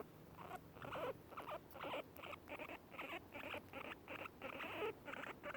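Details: Two guinea pigs eating grass and making their happy sound: rapid soft rhythmic chattering pulses about four per second, mixed with chewing noises, quiet and close.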